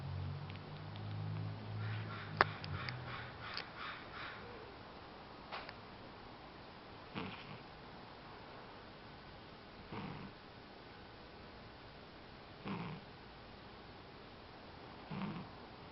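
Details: Spain, a sleeping pet cat, snoring indoors. A few soft clicking smacks come early, then breathy snore bursts recur roughly every three seconds over a steady background hiss.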